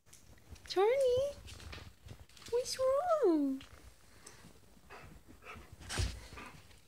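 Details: Dog reacting to a husky face pillow: two drawn-out, wavering whines that rise and fall in pitch, the first about half a second, the second nearly a second long, followed by soft rustling and a dull thump.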